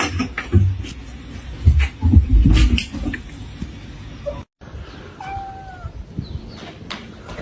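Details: Domestic cat in a funny pet compilation: thumps and knocking fill the first half, then after a short silence comes a single drawn-out tonal meow with a gently falling tail, over quiet room noise.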